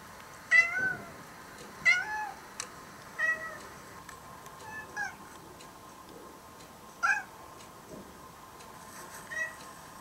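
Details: Former stray orange-and-white kitten in Japan, almost tame, hearing cat voices played to it; a run of repeated harmonic meows roughly every one to two seconds, some short and clipped, over a constant background hum.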